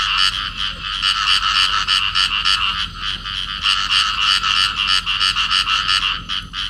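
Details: Field frogs, a pair in amplexus, give harsh, pulsed croaks in fast trains of about three notes a second. The calling runs almost continuously, with short pauses between rattling bursts and nothing else audible.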